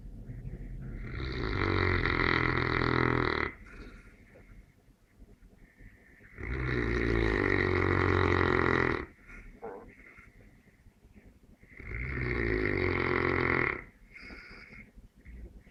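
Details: Sleeping Neapolitan Mastiff gives three loud, rattling snores about five seconds apart, each lasting around two seconds, separated by soft wheezing exhalations.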